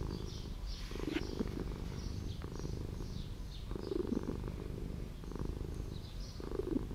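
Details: A street cat in an old house purrs in rolling low waves, rising and falling about every second. Scattered bird chirps can be heard in the distance.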